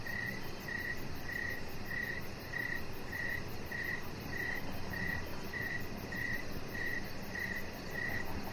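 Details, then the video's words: Crickets chirping in the evening beside a deck where a chihuahua puppy lies under decoration lights; steady high chirps repeat about every two-thirds of a second over a soft low rumble. "Cricket Sounds"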